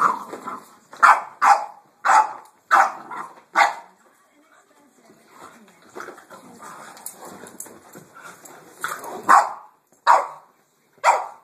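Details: A Boston Terrier barks at a vacuum cleaner in sharp, rapid bursts, pauses through a softer stretch, then barks again.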